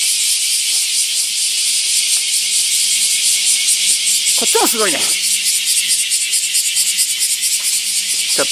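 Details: A massed summer chorus of bear cicadas (Cryptotympana facialis) in the morning at a huge camphor tree in Daitokuji Park, Nagasaki, Japan: a dense, unbroken hissing buzz, with a man's voice briefly heard.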